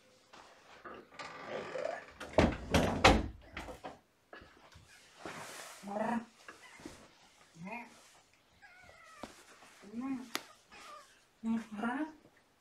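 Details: Shelter kittens born November 22, surrendered with their mother Olympia, heard indoors in the morning: several short, rising-then-falling meows in the second half, after loud human speech and handling noises early on.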